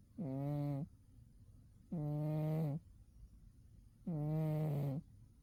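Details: Sleeping soundly in winter, the cat Umi gives three long, steady snores of under a second each, spaced about two seconds apart, low and throaty with a buzzy harmonic tone.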